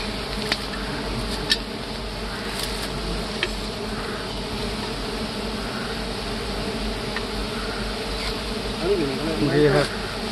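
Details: Big honey bees swarm during a honey harvest in hardwood forest, giving a dense, steady droning buzz throughout. Sharp taps and clicks break in now and then, and voices murmur near the end.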